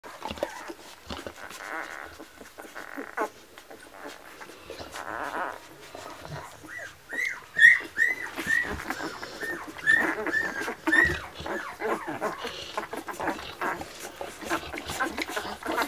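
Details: Litter of nine-day-old Labrador Retriever puppies born 22 February 2017, with quiet shuffling at first, then a run of high, thin arching whines and squeaks repeated in quick succession from the middle onward.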